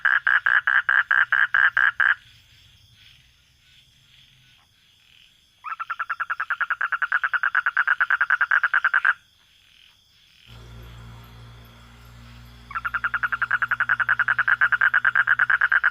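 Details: Recorded at night, a frog gives long rapid trills of pulsed, rattling notes, each lasting a few seconds.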